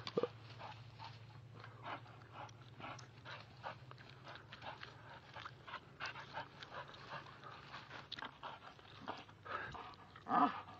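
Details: Oreo, a two-year-old American Staffordshire Bull Terrier, pulling down a tree outdoors: steady rough panting with rustling and snapping of branches throughout, ending in a short whimper-like tonal note.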